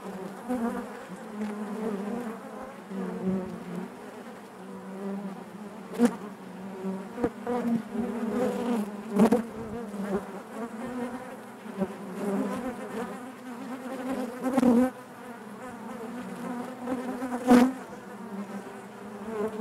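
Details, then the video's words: Dense natural buzzing of honey bees in their hive, a rich wavering drone that rises and falls over twenty seconds, with scattered sharp clicks and knocks from movement inside. "bees therapy hive natural buzzing sound"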